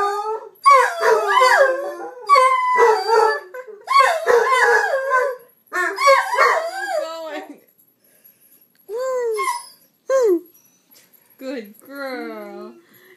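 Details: Indoor dogs joining a person in howling, dense overlapping wavering howls for about six seconds, then scattered short whining and whimpering calls after a pause.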